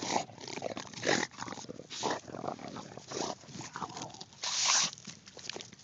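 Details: English Bulldog tackling a pumpkin, recorded on an Android phone, gives harsh, wheezy snorts and grunts in short bursts, with a longer, louder snuffling burst near the end amid rustling and scraping.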